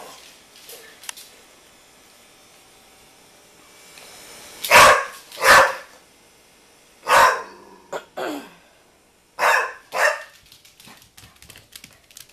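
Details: Pit Bull barking at a basketball: loud harsh barks, mostly in pairs, with gaps of a couple of seconds between pairs, and a man's voice speaking to the dog afterwards.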